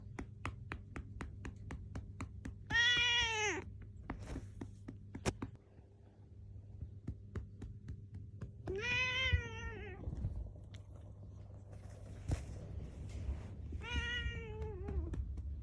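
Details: Six-year-old female black cat indoors, angrily scolding its owner for patting its rump the wrong way: three drawn-out, complaining meows roughly five seconds apart, each rising then falling, amid soft rhythmic patting taps.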